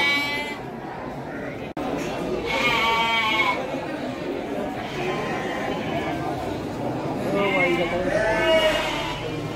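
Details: Bleating Garut sheep, young breeding stock at the Andir market in Bayongbong, Garut: a few quavering, nasal bleats stand out amid busy human talk and background bustle.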